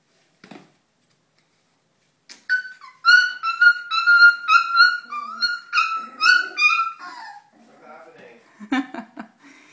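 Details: Two three-week-old Weimaraner puppies, both female, wrestling indoors; a run of high, squeaky yelps and whines with a wavering pitch, repeated rapidly for about four seconds, followed by scuffling and a soft voice.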